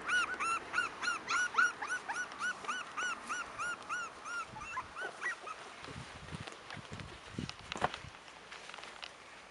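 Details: Cairn Terrier puppies at five weeks old, of the Stromerhof B litter born 28 June 2015, whine in a fast run of arched, rising-falling squeals that fade out, followed by scattered rustling and soft clicks.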